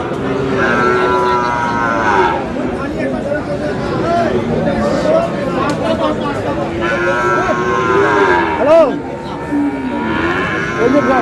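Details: Bull calves, Friesian and cross-bred, about seven to eight months old, for sale at Aftabganj market, Dinajpur; long mooing bellows come twice amid bargaining voices and a busy crowd.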